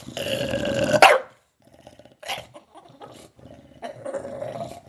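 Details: Bulldog growling, snarling and gobbling like a turkey; a loud rough nasal vocalization in the first second, then broken throaty snorts and a sustained gargling growl near the end.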